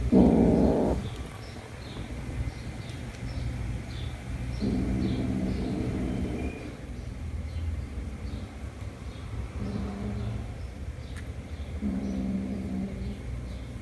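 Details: Kitten Jumper reunited with his mother cat after a month; four separate low, rasping growls of one to two seconds each, spaced a few seconds apart, with a steady background hum.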